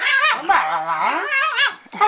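A Pekingese dog makes drawn-out, wavering moaning sounds that rise and fall like a dog trying to talk.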